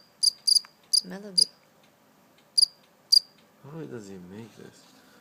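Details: A caught live cricket gives a handful of sparse, sharp high chirps in small clusters, interrupted by two stretches of human voice.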